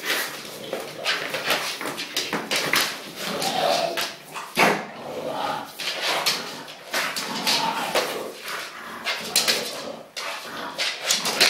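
An English bulldog makes a run of raspy, snuffling grunts and snorts, uneven bursts of noisy breath coming every second or so. Short whimpering notes break through now and then, with faint human voices in a small room.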